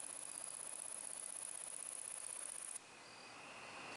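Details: A grasshopper, recorded at 8:16 PM on 24 August 2015, gives a dense, high-pitched buzzing chirp that runs on steadily before suddenly growing quieter.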